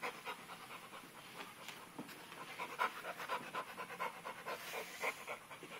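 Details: Pit bull puppy Dixie playing with a sock indoors, two adult pit bulls also in the home; quick, breathy panting pulses repeat about twice a second, soft and steady, with faint human voices at the start.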